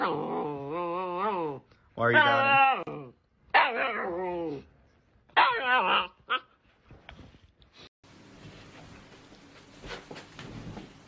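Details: Siberian Husky in a compilation of dramatic, pouty husky behaviour, giving a run of wavering, whiny, howl-like vocal phrases that rise and fall in pitch over about seven seconds, followed by quiet hiss and faint background music.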